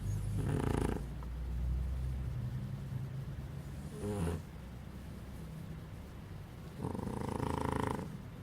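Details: Baby dog asleep, snoring with deep, throaty, rumbling breaths spaced a few seconds apart, soft and low between them.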